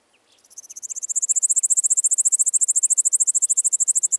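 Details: Pholidoptera littoralis, Seewiesen, Germany, 11 July 2023, captured via ultrasound detector: a soft start swelling into a steady, loud series of high rasping pulses, about ten per second, with faint short clicks underneath.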